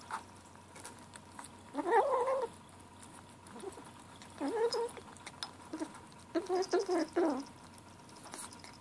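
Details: Seven-week-old gray kitten Ashe murmuring over his food: three bursts of short wavering mews spaced about two seconds apart, the last a quick run of broken notes, amid faint chewing clicks in a small room.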